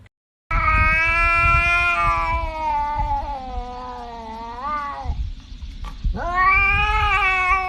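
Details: Domestic cat yowling loudly in long, wavering calls: one drawn-out cry that slowly dips and swells, a pause, then another rising yowl, all over a low rumbling background.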